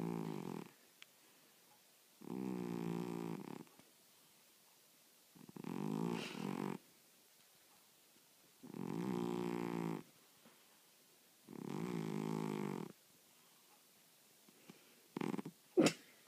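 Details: Sleeping pet cat snores in a regular rhythm, five rough, droning inhalations around a second long spaced about three seconds apart, ending with a couple of faint clicks.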